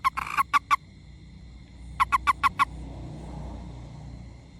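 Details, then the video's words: Toad handled during play, giving short bursts of rapid, evenly spaced croaking pulses: a run of about five, a pause of over a second, then another run of five, above a steady high tonal hum. "The sounds of our CHILDHOOD FROG"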